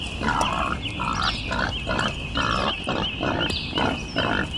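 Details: Wild boar uttering a steady series of harsh, nasal grunts, roughly two per second and fairly even in rhythm, against a continuous high-pitched insect drone and faint bird notes.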